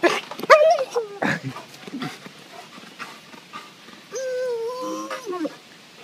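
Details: A pet dog reacts as its owner sneaks up over the back fence from next door, starting with sharp yelps and short whimpers, then a drawn-out, slightly falling whine, amid rustling and soft human sounds.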